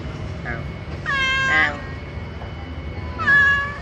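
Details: Cat at a market in Duri town, Riau, meowing while asking for food; three harmonic meows, the first faint and short, the second long and rising then falling, the third shorter, over a low steady hum and background murmur.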